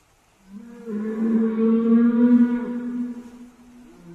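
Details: A single long, low, steady whale moan, richly harmonic, swelling in loudness and then fading out over about three seconds.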